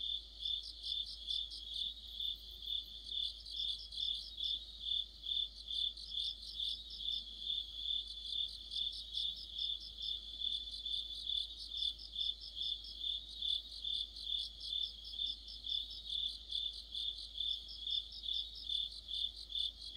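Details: Crickets and companion insects sing in a deep-autumn chorus, high pulsed chirps repeating about 136 times a minute without pause, overlaid by recurring short trilled bursts pitched higher still.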